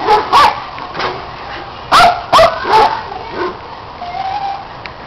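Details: Dogs at play chasing a red Kong toy while a neighbour's dog joins in; a few scattered high yipping barks, then a quick cluster of three or four sharp barks near the middle and a faint whine toward the end.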